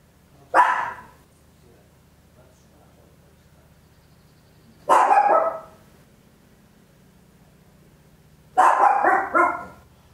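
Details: Papillon, a tiny dog, barking loudly at home, Olympus LS-11 stereo recording: three harsh barks spaced about four seconds apart, the later ones longer and rougher, over a faint low hum.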